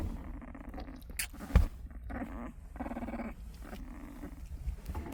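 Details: Puppy snoring: soft, low rumbling breaths that come in short bursts about every half second to second, with one brief louder thump partway through and light background hiss.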